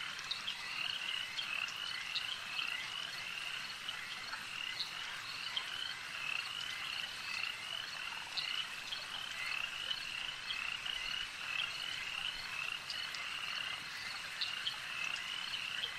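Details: Lakeside frog chorus, unbroken for the whole stretch, made of shrill rattling croaks and thin repeated whistles from numerous overlapping animals, with faint background hiss.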